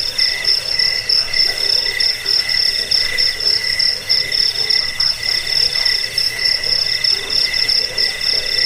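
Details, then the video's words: Chirping of a cricket, used to repel rats, to help with sleep and as training audio for songbirds; shrill pulsed trills repeat in short bursts roughly once a second over a constant high buzzing chorus. "Suara jangkik pengusir tikus pengantar tidur"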